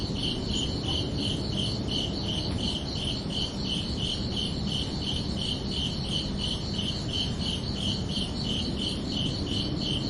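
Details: Continuous nighttime cricket chorus of bright pulsed chirps at a steady pace, backed by an even low-frequency rumble and hiss.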